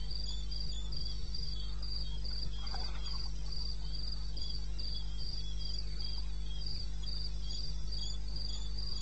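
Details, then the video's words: Cricket in wilderness of eastern Botswana, recorded 21 May 2016 at 2:30 AM; high, steady chirps pulsing about three times per second over a constant low hum, with a few faint scattered clicks. "1 Hour cricket sound"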